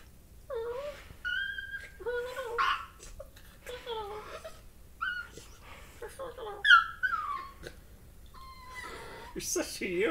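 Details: Corgi puppy (Canis lupus familiaris) makes a run of wavering whines, moans and little yodelling grumbles while playing, sounds the owners find decidedly non-dog-like, like a turkey crossed with a chimpanzee.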